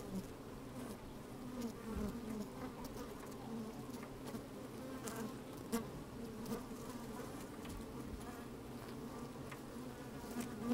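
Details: Bees busy in an open hive, recorded by a microphone pushed down inside on a sunny, breezy day; continuous humming drone with occasional sharper buzzes and scattered ticking clicks.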